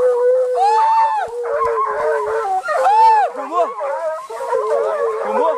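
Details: American Foxhound pack chasing deer at Canela Seca, hounds urged on by hunters: several overlapping sustained bays blend into a continuous chorus, with two loud arching, rising-then-falling howls near one and three seconds.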